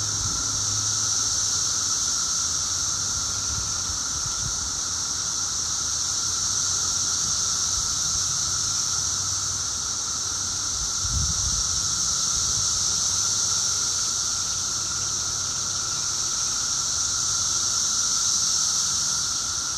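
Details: Seventeen-year periodical cicadas at peak loudness exactly two weeks after emerging, heard from indoors: a continuous high whining chorus, unchanging in pitch, with a low thump partway through.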